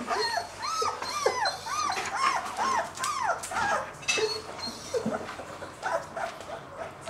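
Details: A two-week-old male German Shepherd puppy keeps up a series of high, arched whimpers, several per second, which gradually thin out. Light rustling and bumps are heard throughout.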